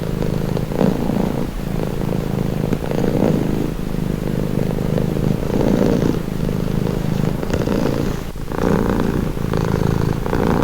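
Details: Cat purring for calm, a deep vibrating hum swelling and easing with each breath every second or two, with a faint brief rustle near the eighth second.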